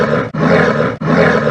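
A sloth bear gives harsh, throaty roars in rapid bursts, with brief breaths between them.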